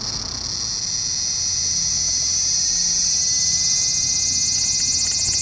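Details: Large brown cicada on 3 September 2015, late season as numbers thin: a loud, grating high buzz that strengthens in the first seconds, then holds as a steady, slightly pulsing drone.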